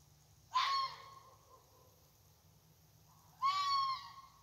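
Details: Red fox calling again and again at night in a side yard: two harsh, raspy screams roughly three seconds apart, each about a second long with a strained tonal edge, over a low steady hum.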